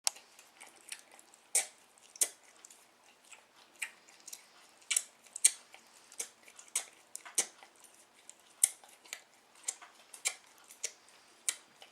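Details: Rapid dry clicking and crunching taps, like chewing or biting, repeat irregularly throughout, with no animal voice heard.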